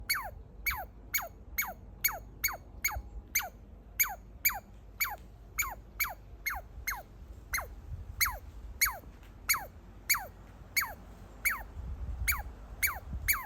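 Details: Baby squirrel excited to see its feeder, posed under a deck railing, calling while chewing a walnut: high, sharply descending squeaks repeated steadily, roughly two per second, with faint low rumble beneath.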